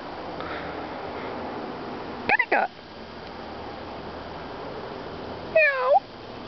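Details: A neighbour's cat meowing when called "kitty cat": two short rising-falling meows about three seconds apart, over steady background hiss after a person's call.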